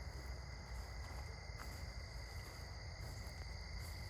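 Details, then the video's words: Sunset crickets chirping while someone walks in the evening; constant layered high-pitched trilling that barely varies, with a couple of faint clicks and a dense low rumble underneath. "Cricket's chirping sounds"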